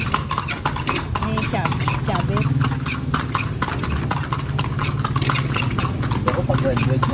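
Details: Horse ridden through Vigan: rapid clip-clopping hooves, nearly four strikes per second in an uneven rhythm, over people talking and a low engine hum.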